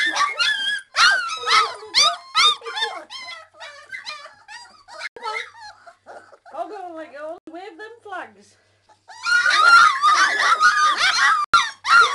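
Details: Hungry three-week-old Old English Sheepdog puppies, bobtails, crying for their mother to feed them; bursts of sharp yelping whines, a quieter stretch of softer whimpers, then a loud overlapping chorus of squeals near the end.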